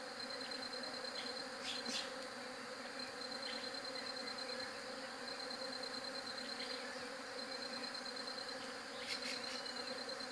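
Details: Continuous low bee buzzing holds steady beneath a thin high tone, with occasional short sharp chirps at intervals of several seconds.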